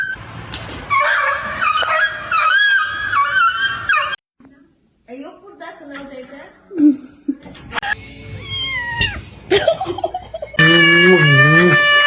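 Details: Pet cats indoors, from a kitten meowing compilation: a run of wavering harmonic meows over four seconds, a short silence, scattered quieter cries and human chatter, then a loud sustained, pitch-bending meow closing the clip.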